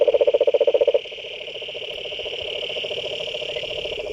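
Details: Croaking frogs at a pond: about a dozen loud, rapid throbbing pulses in the first second, then a softer, steady pulsing trill with a faint high tone continuing behind.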